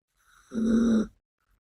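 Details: One steady, rumbling snore from Biske, a pet Yorkshire Terrier girl, while asleep; a single even half-second breath with a soft intake before it and silence after.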